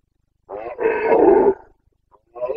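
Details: Rutting Carpathian stag, a red deer of the Bucovina mountains, Romania, recorded 29 September 2022: a hoarse grunt runs into a long, rough, rolling roar nearly a second long, then a pause and the start of another bellow.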